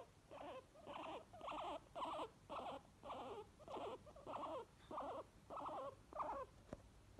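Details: Pet guinea pigs Obi (white) and Chewi wheeking happily, a regular train of about ten short, squealing bursts spaced roughly half a second to 0.7 seconds apart, each with a wobbling pitch, plus a brief click near the end.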